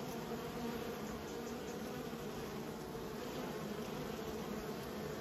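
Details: Continuous low buzzing from kept bees, a uniform droning hum with a higher overtone band, steady from start to finish.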